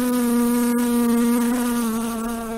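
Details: Buzzing of a fly, a continuous nasal drone with rich harmonics held at a nearly constant pitch, sagging slightly toward the end, with a single faint click partway through.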